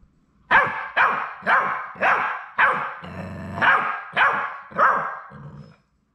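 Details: One of the last three Labrador Retriever puppies at High Desert Labradors, on the day they leave for their families; seven shrill barks about half a second apart, with a low growly rumble in the middle.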